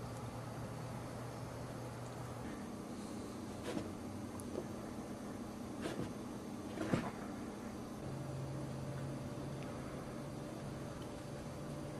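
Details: Indoor room tone with a low steady hum that shifts pitch, soft knocks and a few sharp clicks, like a cupboard or door being moved.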